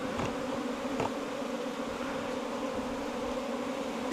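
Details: Bees nesting inside a bamboo stem four metres long: a steady, even droning hum with two low sustained tones, broken only by a couple of faint taps early on.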